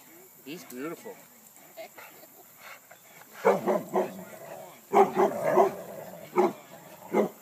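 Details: Dogs playing at Lloyd Ave. Dog Park, tugging at a tree: short, harsh barks in loose clusters of two or three, loudest in the second half, after soft human voices and a few higher yelps at the start.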